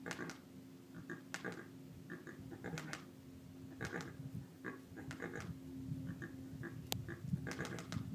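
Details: Javelina herd in Arizona; one animal clicks its teeth to alert the others and scare off an intruder. Dry, sharp clacks come in short bursts every second or so over low rustling and a steady background hum.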